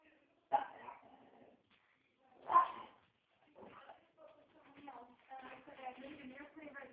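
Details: Dog barking, two sharp loud barks about two seconds apart, then softer broken vocal sounds and a stretch of murmuring sounds that may be human speech in the background.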